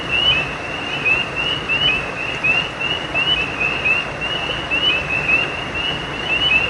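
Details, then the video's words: Nighttime creek frogs chorus with brief rising chirps, high and thin, scattered irregularly and sometimes overlapping, roughly forty a minute, while a constant broadband wash of running water fills the background. "Night creek frogs cry sound effect"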